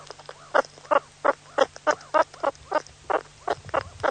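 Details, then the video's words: Suricate, the meerkat Suricata suricatta, uttering rapid, rasping chirps roughly three times a second. Each note is short and scratchy, with soft arching squeaks between them and a faint low hum in the background. "Meerkat sounds, suricate call"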